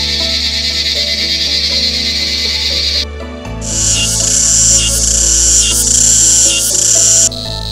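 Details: In Thailand, male cicadas buzz loudly and steadily in a high, shrill mating call, sung together in chorus by vibrating their timbals, with soft music underneath.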